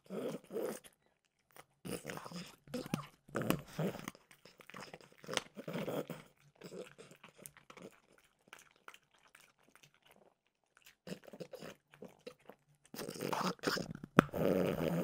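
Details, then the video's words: French bulldog Mimosa indoors, crunching peanut butter flavored dog treats: bursts of crisp, crackling bites and wet chewing, pauses of near silence between mouthfuls, a final loud run of crunching at the end. "Frenchie ASMR - Trader Joe's Dog Treats Peanut Butter Flavored"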